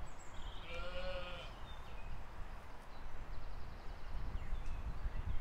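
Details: Sheep and lambs grazing in a field, filmed in spring 2020; one wavering, harmonic bleat rises near the first second and fades, with thin high chirps of small birds and a steady low rumble of wind.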